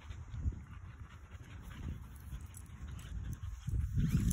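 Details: Husky puppies playfully fighting over a tennis ball: low, rough rumbling growls in continuous uneven bursts, swelling louder near the end.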